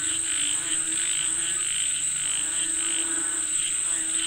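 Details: Several frogs calling for rain, their throaty croaks repeating irregularly, close to twice a second, blended into one chorus above a steady shrill whine.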